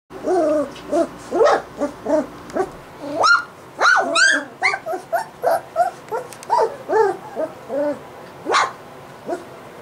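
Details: Three-week-old white Golden Retriever puppies, the litter of Jasmin and Lincoln, give a rapid series of short high whines and yelps, some rising then falling, about two per second, with brief louder squeals near the middle and end.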